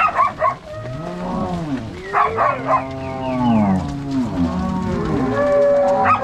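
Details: Angus-Nelore crossbred cow herd driven out to pasture by three cowboys and six dogs on a Paraná farm, Brazil; several lowing cattle with bending, arched moos, and short bursts of higher calls at the start and around two seconds.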